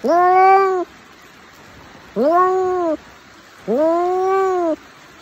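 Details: Domestic cat with a cute voice giving three clear, drawn-out meows, each nearly a second long, tonal with an arched rise and fall in pitch, separated by pauses of over a second.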